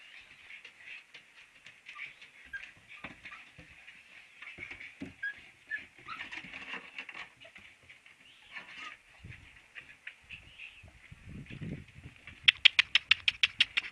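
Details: Several Siberian Husky puppies whimpering in a continuous high, reedy chorus of overlapping squeals, ending in a quick run of about eight sharp, evenly spaced clicks or taps; a few soft low thumps in between.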